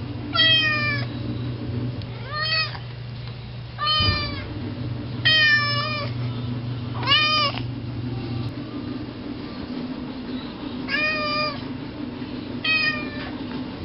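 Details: Indoor cat Garth sits at the front door and meows endlessly, wanting to go out to eat grass; six insistent harmonic meows, some rising then falling, repeated every one to two seconds over a low room hum.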